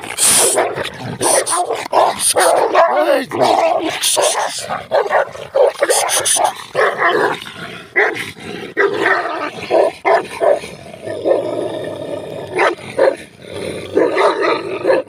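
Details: Two Turkish Kangal dogs fighting each other at close range during a camp, loud harsh barks, snarls and yelps in dense overlapping bursts throughout, with a few short gaps.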